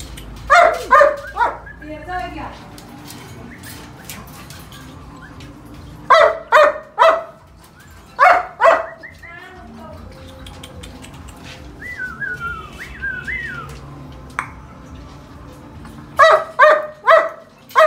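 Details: Purebred German Shepherd dogs at a kennel in Vietnam bark in short, deep bursts of three or four, separated by pauses.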